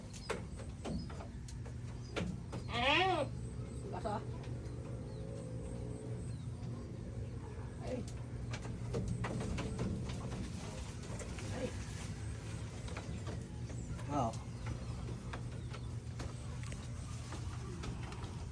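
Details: Goat being fed leaves from a tree it eagerly eats, giving one loud quavering, wavering bleat early on and a fainter short bleat later, over steady talking, a low constant hum and scattered rustles and clicks.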